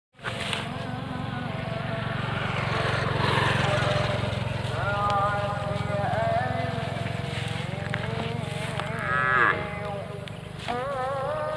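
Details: A white-muzzled Aceh bull gives low, drawn-out moos with a deep, rumbling tone and wavering harmonics.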